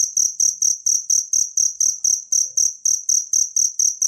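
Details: Natural cricket sound offered as a tutor recording for songbirds: bright, high, ringing chirps pulse steadily about four times a second with no other sounds.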